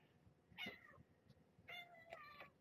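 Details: Two meows heard indoors during an evening play session with Marge, a mother cat once rescued as a pregnant stray, and her tiny kittens: a short falling cry, then a longer wavering one with soft room noise.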